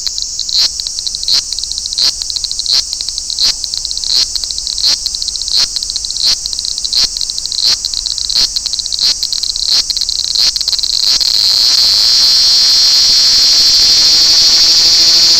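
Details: Large brown cicada at Toyanogata Park, where the species sings in a park-wide chorus in August: a high, hissing, sizzling buzz pulsing steadily about three times a second, then merging after eleven seconds into one continuous loud drone.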